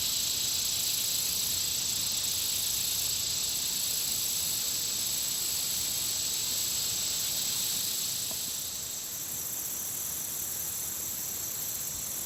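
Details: Insects around a country pond: a dense, unbroken high-pitched shrill with a steady whistling tone on top and faint rapid pulsing, fairly even throughout and easing slightly near the end.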